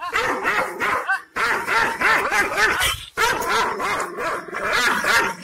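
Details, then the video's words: Fierce, angry Kangal shepherd dog from Aksaray, Malaklı type, barking in rapid continuous volleys of harmonic bow-wow barks, with two brief pauses. "Aksaray malaklisi Kangal çoban köpeği Anadolu aslanı vahşi hırçın kızgın köpek havlaması urmesi sesi"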